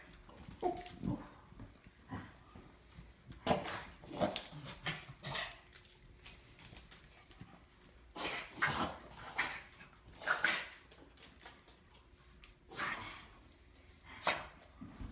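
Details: Shih Tzu named Stewart, indoors, reuniting with his Bengal cat cousins Ella and Sammy after a long time and extremely excited; irregular bursts of whimpers and short yelping barks come in clusters through the clip, with quieter rustling between.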